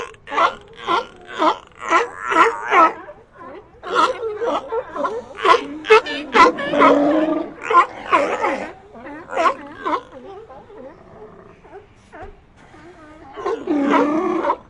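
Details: Sea lion colony calling: a dense run of harsh, harmonic barks and moans, roughly two a second, overlapping and uneven, with a louder cluster of groaning calls near the end.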